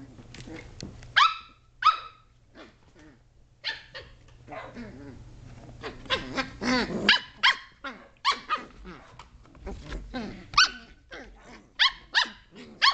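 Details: A litter of Shetland Sheepdog pups aged 7.5 weeks romping in a great room, 2010, barking repeatedly: a rapid series of sharp, high yelps and yaps, some overlapping, with brief growls and play noises between them.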